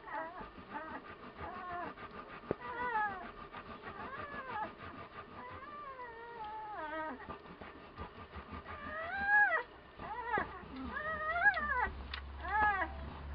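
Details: One-week-old Komondor puppies from a Hungarian kennel litter, recorded in March 2018, several pups whimpering together: overlapping high, wavering whines and squeals that rise and fall, some arching sharply, growing louder and more crowded toward the end.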